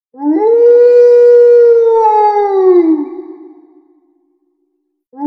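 A wolf gives a long, smooth howl that swoops up, holds steady, then slides down and fades.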